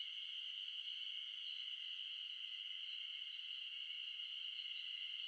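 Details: Ezo spring cicadas calling together in the Shin'etsu highlands of Japan in mid-June. The sound is a steady, shrill, ringing drone with a faint pulsing texture, and it fills the whole stretch without a break.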